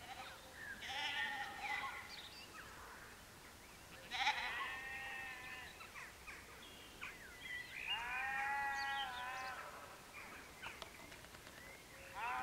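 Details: Three or more sheep at sunset at Canons Ashby in West Northamptonshire, UK, bleating in three separate bursts: a quavering call near the start, another after four seconds and a longer, wobbling bleat later, with quiet pauses between.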